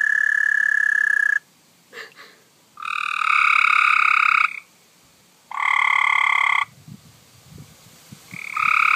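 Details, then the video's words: Frog found by hand, giving a weird, funny croak that kept going: loud, harsh, sustained screeching notes with strong harmonics, each lasting about one to one and a half seconds, repeated four times with short quiet gaps and faint rustling. "Screeching Frog"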